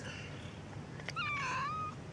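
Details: One of two street cats, a tortoiseshell and a calico, meows once outdoors: a single drawn-out, tonal cry that dips and then levels off, lasting under a second, over a steady background hiss with a faint click just before.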